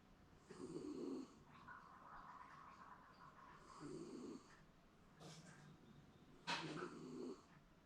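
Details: Shiba Inu napping comfortably at home, snoring as if dreaming: three low, rough snore breaths roughly three seconds apart, with soft sniffs and a couple of sharp clicks in between.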